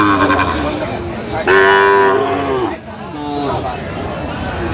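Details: At a cattle market on 8 November 2025, where a Dhaka farmer buys Sahiwal bull calves, a calf gives a loud, drawn-out bellow lasting about a second, then a shorter fainter one, with market voices around.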